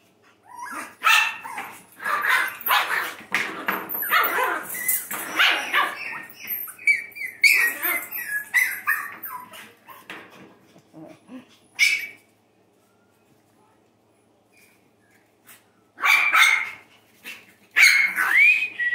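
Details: Playful Shih Tzu and Bichon cross puppies, two females roughly nine to ten weeks old, at a breeder in Minnesota during play; sharp high barks and yaps come in busy bursts, then a long quiet gap before two final barking spells.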